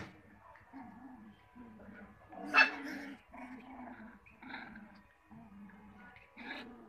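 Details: Cocker Spaniel puppies indoors, giving a run of short, low whimpering calls in quick succession, broken by one sharp high squeal near the middle, with a few softer high yelps toward the end.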